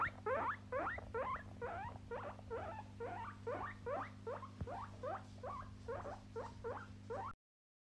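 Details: Pet guinea pigs in a compilation of short home clips; a rapid series of squeaky, rising chirps repeated about twice a second for seven seconds, over a steady low hum.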